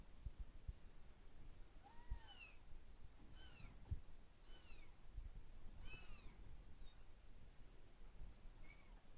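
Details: A kitten lashing out at the person filming it gives about six short, high, arching mews, one every one to two seconds. They are faint over low rumbling handling noise indoors.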